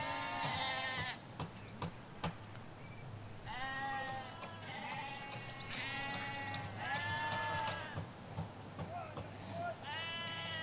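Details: A flock of ewes and lambs in Hampshire countryside bleating in a near-continuous chorus, long quavering calls one after another from four to eight seconds, with clicking bird notes and a steady low background hum.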